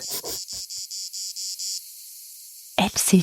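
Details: A 4 cm plebeian cicada on a tree in Provence garrigue near the Mediterranean in July gives short, buzzy pulses of its mating call in a steady series, then goes quiet before a voice speaks.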